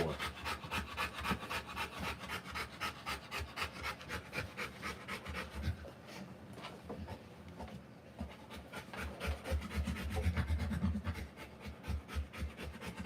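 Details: Whelping Rottweiler during a live birth of puppies, panting rapidly at around four breaths per second, rough airy puffs with some low rumbling thuds underneath and a brief lull midway.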